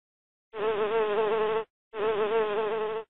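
Two bursts of loud, even buzzing from a bee, each about a second long with a brief gap between. The drone holds a steady mid pitch with a slight waver and a rich, reedy tone.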